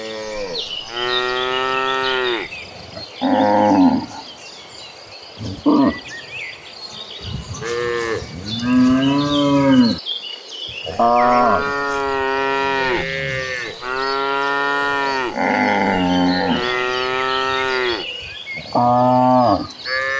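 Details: Cows in a herd of tame cattle walking toward green pastures moo repeatedly, each call a long, rich, drawn-out low bellow that rises and falls.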